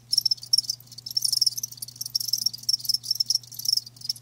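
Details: Live crickets chirping in quick bursts of shrill, high trills, several pulses per second, separated by brief gaps, over a faint steady low hum.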